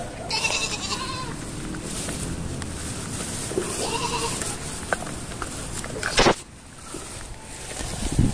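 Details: Domestic goats on a small farm in the city, being moved under shelter as drizzle begins and seeming unsettled; two wavering, nasal bleats, one early and one midway, over steady rain-like hiss, with a loud thump near the end and a person speaking nearby.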